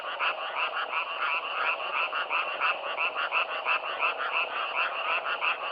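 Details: Self-recorded frog chorus outdoors: many croaking frogs merge into a constant, rhythmic rasping drone, pulsing about three times a second and evenly loud throughout, nothing else audible.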